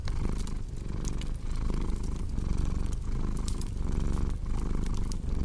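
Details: Cozy scene of a cat purring near a fireplace; the rumbling purr pulses evenly under sharp intermittent crackles of burning logs.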